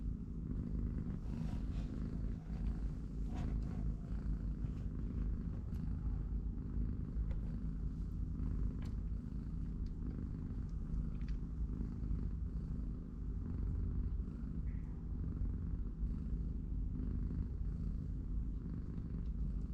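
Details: Continuous low, throbbing purr from a cat family of a mother and her three-week-old kittens, indoors in their cardboard box between play and naps. The rumble holds steady throughout, broken only by occasional light taps and rustling.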